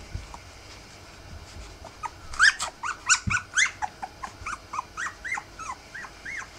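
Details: A litter of Rough Collie puppies, three weeks old, breaks into a run of loud, high yelping whimpers after two quiet seconds, each squeal bending upward, roughly three per second, fading toward the end.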